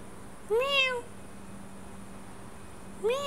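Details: Meow sound around a sleeping domestic cat, which responds to it even in sleep, moving its tail; two harmonic meows, the first rising then falling over half a second, the second beginning about 2.5 seconds later, over a steady low hum.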